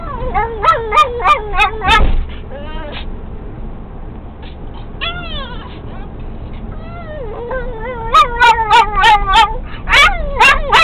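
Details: Pixie the pet dog sings excitedly in a VW Beetle as it gets going: bursts of wobbling whines and gobbling yips at start and end, a quieter stretch of low warbling in between, steady engine hum underneath.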